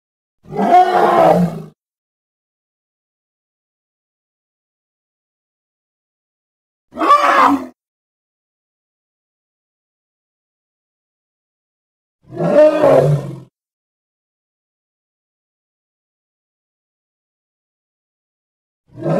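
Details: Congo hippopotamus calls as four separate short, rasping bursts, each about a second long and spaced roughly six seconds apart by complete silence. Each burst is gravelly and noisy, with a throaty low-mid core.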